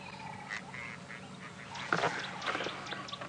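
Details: A very angry tree squirrel on a sunrise safari drive, February 4, 2017, scolds with harsh, rasping, quack-like chatters over a faint hum and bird notes. It is alarm calling near a Wahlberg's eagle nest; a snake or slender mongoose is suspected under the tree.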